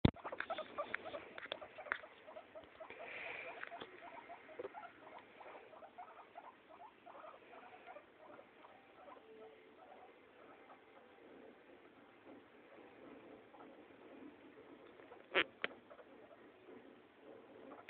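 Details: Neutered male guinea pig playing with a female guinea pig, pets indoors; soft, steady run of short low chirping notes repeated rapidly throughout, with a brief sharp knock near the end.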